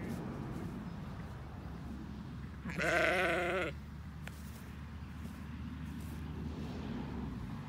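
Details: A Border Leicester ewe called Roxy bleats once, a quavering nasal cry about a second long, followed by a sharp click, against a constant low hum of background noise.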